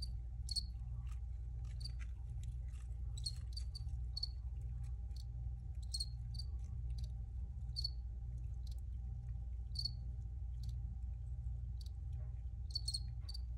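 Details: Crickets recorded for relaxation, giving short chirps near 4 to 5 kilohertz that come in irregular bursts across the clip over a steady low hum and a faint constant tone.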